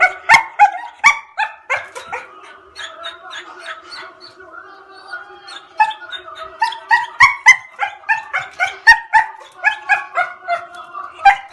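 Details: An angry dog gives rapid, high-pitched yapping barks, about three or four a second, with a thin whining tone held between bursts; the barks come in uneven runs, pausing briefly near the middle before resuming louder.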